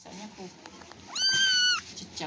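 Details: Single clear meow from a cat being played with, starting with a quick upward swoop and then holding a level, strained tone for under a second amid soft background voices.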